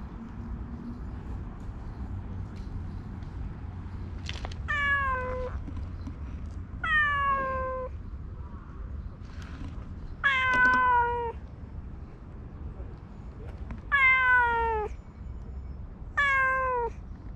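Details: Ragdoll or Siamese house cat meowing repeatedly, six drawn-out harmonic meows that slide downward in pitch, roughly every two to three seconds, against a low constant hum.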